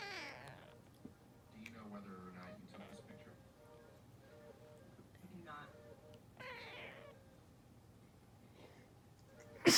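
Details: Female cat reacting to a sneeze with several drawn-out, wavering meows spaced a few seconds apart, under constant human speech.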